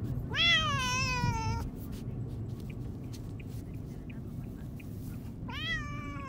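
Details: Domestic cat, one of two pet cats, a black and a white, crying in protest while being taken to the vet for castration; a long, loud, wavering meow, then several seconds of car rumble before a second rising meow begins.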